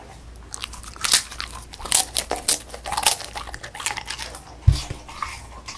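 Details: A female Beagle, Song Mung-i, bites and chews a puffed rice snack in a small room, producing crisp crunching bursts and a low thump near the end.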